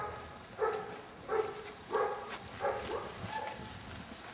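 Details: Seven-week-old Airedale Terrier puppies of an L-litter give brief, clear yelping notes, roughly five spaced about every half second, against steady background hiss.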